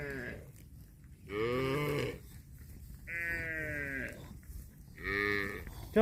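Cattle moo in drawn-out, harmonic bellows as bulls compete for a cow.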